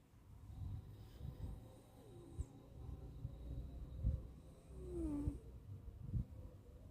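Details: Suga, a domestic cat, snores in deep sleep, a rumbling low breathing noise with faint whistling squeaks between slow inhalations and no other sounds nearby.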